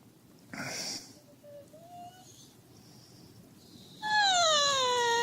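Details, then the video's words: Husky acting as an alarm clock to wake its owner. Near silence with faint thin squeaks, then a loud, drawn-out whine that slides slowly downward. "Хаски в роли будильника"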